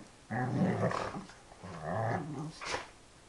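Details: Dobermann indoors making moo-like, cow-like sounds while playing: two drawn-out, low, rumbling harmonic growls of about a second each, separated by a short pause, with a brief rustle at the end.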